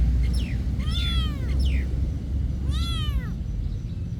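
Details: Monastery cats giving a few quick meows: a brief rising cry, then two longer arched meows that swell and fall, with constant low-pitched background hum throughout.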